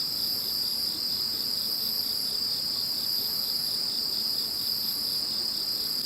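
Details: Insect chorus following the passing of Typhoon No. 21: several shrill, ringing trills drone together without pause, topped by a faint, slowly pulsing very high chirping.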